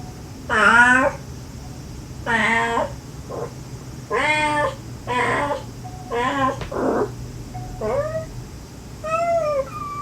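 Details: Gentle calls of a stray mother cat to her kittens, with the kittens replying in sweet, needy voices, recorded to lure the last of five kittens out during a rescue; eight or so meows of varying length and pitch, some short and high, over a low hum.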